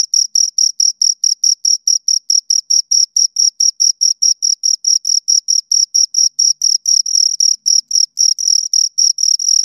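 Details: A pair of crickets stridulating in a continuous run of shrill, evenly spaced chirps, several per second, the rhythm holding steady across the whole stretch with a silent background.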